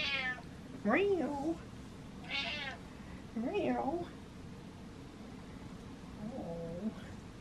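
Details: Indoor pet cat giving three wavering, rising-then-falling meows spread over several seconds, the last one softer, with a high squeaky voice sound between the first two.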